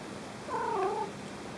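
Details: House cat asking for toys with one brief, mid-pitched meow that rises slightly and then falls, heard against a low, steady background hum.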